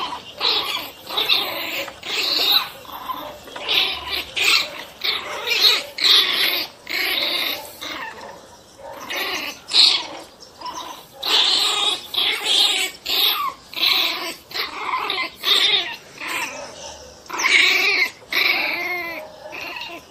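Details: Angry Pinschers snarling and barking in a frenzy: harsh, raspy bursts about every half second, high-pitched and noisy, with growling between them and no other sounds.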